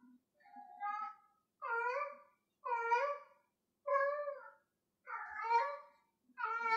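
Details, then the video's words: Gloria the cat meows repeatedly as she plays with a piece of string, a series of loud, strongly harmonic meows roughly every second, some rising then falling in pitch. "Gloria meowing with a piece of string"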